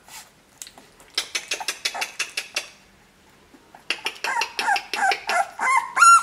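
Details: Two-week-old dog pups: a quick series of short, evenly spaced squeaky yelps, then a brief quiet gap, followed by louder whining squeals that slide up and down in pitch.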